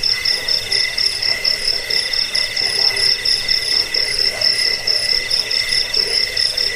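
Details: Continuous cricket chorus, offered as a rat repellent, sleep aid and model for training birds; shrill pulsed trills ring high above a softer lower line, chirps falling about twice a second with no other sounds.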